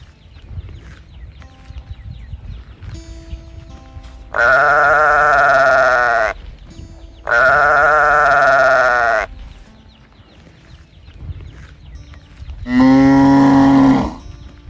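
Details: A calf crying out in search of its mother: three long bawls of about two seconds each, the last one lower and throatier, with soft steady background tones between the calls.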